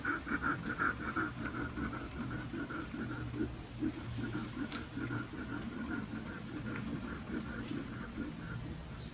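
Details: Siberian husky puppies with red coats squeak in a continuous string of short, high whimpers, roughly two to three per second, over a low rumbling and shuffling background.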